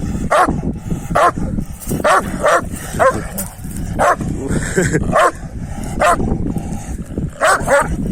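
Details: Male Kangal dogs trying to win a female keep up a run of sharp, rough barks, about one each second, some doubled. A continuous low background rumble runs throughout.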